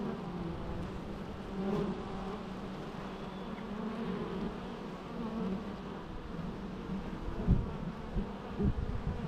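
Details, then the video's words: Low, continuous bee hum dominated by deep tones, with a few brief louder buzzes of single bees passing near the end. "natural bee sounds"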